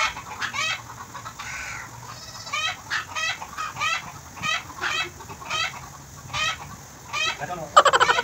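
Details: Bottle-fed goat kid in Bahrain giving short trembling bleats at irregular intervals, with a sudden louder burst at the very end.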